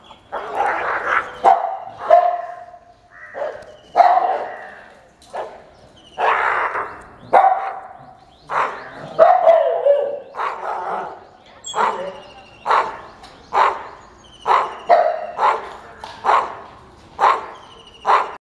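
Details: Aggressive dog defending its territory, giving a long run of loud, harsh barks in irregular bursts, some doubled or growling and some higher and yelping, about fifteen barks over the stretch.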